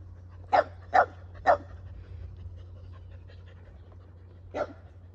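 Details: A male Keeshond showing affection to his owner with hugs and kisses; three quick breathy barks close together, a lull, then a single further huff, against a faint low indoor hum.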